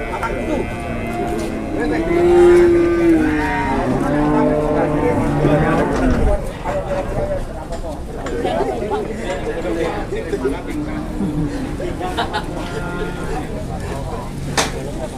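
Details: Cattle at a livestock sale in Klaten, Indonesia, during haggling over price: a drawn-out low moo rises and falls early on, then men talk and call out over a crowded, noisy background.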